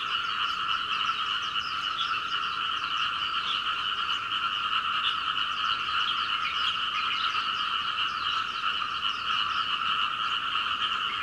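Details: Recorded from a second-floor window at home in Hunei, Kaohsiung, Taiwan, where frogs call all night until dawn, many frogs croak in a dense, unbroken chorus of rapid, raspy calls, steady in pitch and volume.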